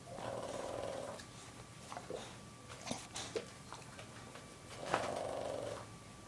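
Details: A female Boston Terrier snoring softly indoors, with two long, hoarse, breathy snores about four seconds apart, a few faint clicks between them, and a steady low hum behind.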